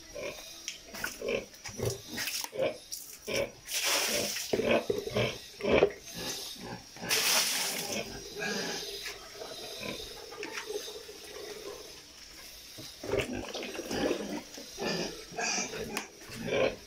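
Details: Domestic sow close to giving birth, making rapid runs of short, rough grunts with a longer drawn-out grunt near the middle, broken by bursts of rustling noise and some background voices.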